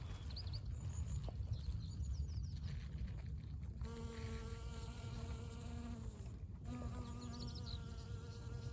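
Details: Honey bee covered in yellow pollen hovering over a flowering dandelion in spring, giving a steady, even, humming buzz for about two and a half seconds, a short pause, then more droning; soft high bird twitters and a low background rumble.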